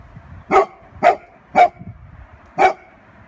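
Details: Pet Golden Retriever, guarding the family, barks at a balloon: four short, punchy barks, roughly half a second apart, then a longer gap before the last one, over a quiet indoor background.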